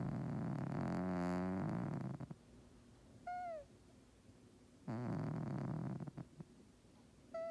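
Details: Domestic cat snoring loudly at rest. Two rough, rattling, pulsed snores about a second long are separated by quiet pauses. Short, squeaky, falling whistle-like notes are also heard.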